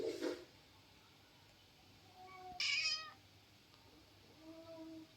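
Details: Female pet cat, called a quarrelsome girl, sulking after being told she would get no massage; a short broadband burst opens, then one clear harmonic meow midway and a fainter, softer meow near the end, in a quiet room.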